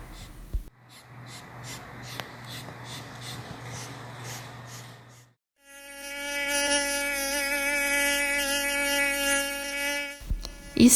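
A mosquito's thin, steady whine, high and nasal, holding one pitch for several seconds.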